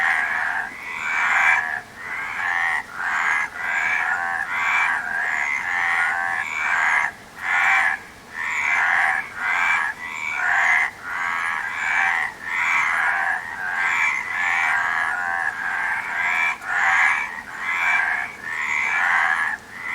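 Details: Long stretch of frog calling: rapid, rattling croaks in choppy overlapping bursts, many short pulses across twenty seconds, forming a busy, uneven chorus over soft background noise.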